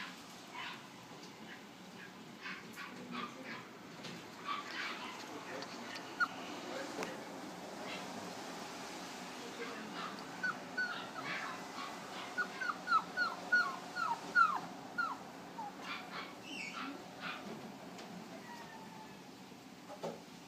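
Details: Several West Highland White Terrier puppies in a pet store in Flushing, New York; a run of short, high, whistled whimpers cluster in the middle, repeated roughly every half second, with faint voices and room noise behind.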